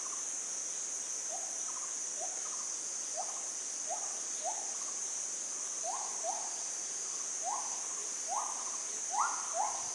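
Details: Monkeys, unseen, trade short tonal coo-like calls over a steady high insect drone in forest along a mountain track south of Ban Mai Huai Hia, Chom Thong, Chiang Mai, Thailand, first distant then approaching.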